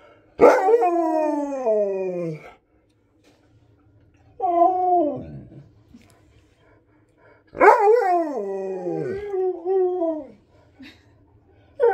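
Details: Husky insisting on more treats lets out a series of loud, drawn-out yowling howls, each starting sharply and sliding downward, with a shorter wavering one between them and brief silences in between.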